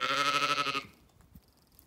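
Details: Sheep among ewes and lambs in an orchard on a sunny day at a regenerative farm in County Kilkenny, Ireland; one loud, rich bleat lasting under a second with a strong wavering tone, then quiet rustling.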